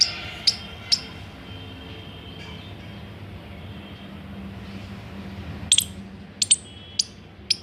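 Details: Indian palm squirrel giving sharp, very high chirps, three spaced near the start, then a long pause before a quick cluster of four or five at the end, over a faint low hum.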